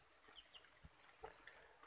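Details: Farmed crickets in a rearing pen, raised on chick starter feed for breeding, giving a steady, high, continuous trill with faint scattered ticks and taps underneath.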